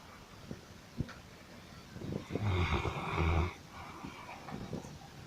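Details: Sleeping dog snoring: one loud, low, rasping snore swells for about a second midway, with a gritty rumble and breathy hiss, framed by fainter soft breaths and small clicks before and after.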